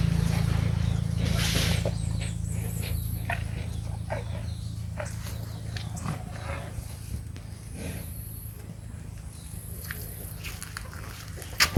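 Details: A big cow breathes heavily, with noisy huffs of air over a deep, steady low rumble.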